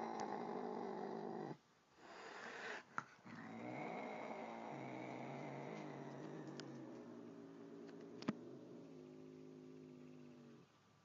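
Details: An angry cat confronting a nice cat gives wavering, drawn-out yowls that rise and fall in pitch, then settles into a lower moaning growl with brief clicks and knocks in the background.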